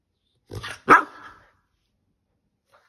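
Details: A 13-week-old Keeshond puppy indoors barks to get attention. Two quick, sharp yaps come close together, the second louder with a short trailing whine, followed by silence.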